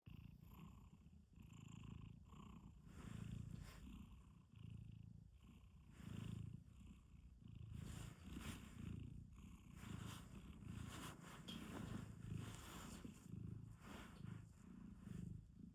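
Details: Domestic cat snoring while looking as if it were really angry: soft, low rumbling breaths rising and falling in a steady rhythm, roughly one every one and a half seconds, quiet throughout with faint higher hiss on each breath.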